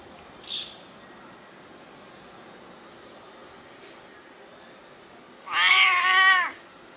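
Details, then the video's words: A 20-year-old Siamese cat that meows a lot gives one long, loud meow that rises slightly and then falls away. "20 year old cat meowing"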